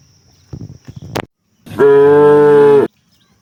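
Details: Tame cow in a herd roaming rice fields for grass; a few soft snorting puffs, then one loud, flat, sustained moo of about a second with strong even harmonics.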